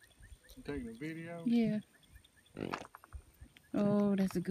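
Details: Goat heard in a funny goat compilation giving two drawn-out, wavering bleats with a nasal, quavering tone, separated by a brief rustling noise, with faint background sounds.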